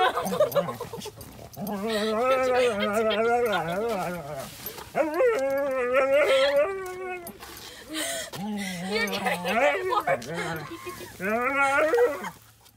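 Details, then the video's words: Bathing husky protesting in a dramatic tantrum: long, warbling howl-like complaints and moaning whines, rising and falling in pitch, repeated in bursts with brief pauses between. "Husky Throws Tantrums While Pet Parent Tries to Give him Bath"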